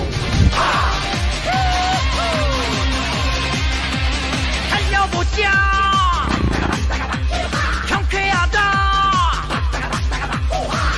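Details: Upbeat electronic dance music with a steady driving beat and bright sliding synth tones, with no animal voice.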